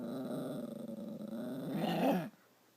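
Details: Pet dog Stella, upset that Max took her chew toy, growls indoors in a steady low vibrating rumble for about two seconds, swelling into a louder grumbling whine before stopping.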